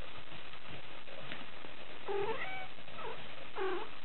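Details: Tricolour male Cavalier King Charles Spaniel pup aged 43 days, Hyogo, Japan: two or three brief high-pitched whimpering squeals with wavering tone in the second half, after a quiet low-noise start.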